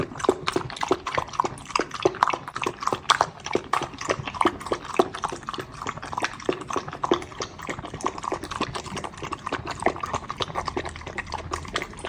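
A Pembroke Welsh Corgi puppy laps milk with quick, wet, clicking slurps in an uneven, steady stream.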